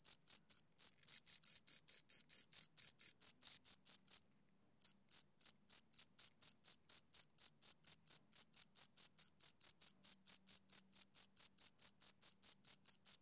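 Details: Two crickets stridulating in a regular train of sharp high chirps, with a brief pause of under a second before the steady pulsing resumes; nothing else audible.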